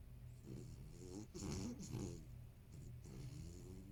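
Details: Toy poodle named Maron, a 13-year-old apricot-to-gold male, snoring loudly while asleep behind someone editing on a computer indoors; rough, low rattling snores swelling in two bursts with wheezy breathing between.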